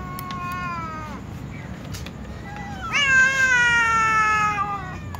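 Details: Tom cat and a white cat, among other cats, meowing before feeding: a long, clear meow with a falling end, then a louder, drawn-out meow holding steady for about two seconds, over a low rumbling background.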